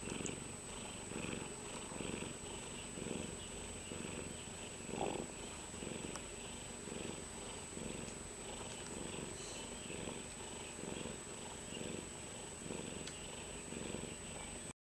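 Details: A cat purring, a continuous, even, low rumbling pulse held throughout, with a faint constant high electrical whine in the background.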